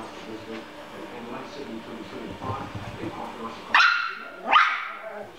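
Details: Yorkshire Terrier, a pet dog, battling a fly indoors: after a stretch of low murmuring background noise, two sharp, high yipping barks burst out close together near the end, a second apart.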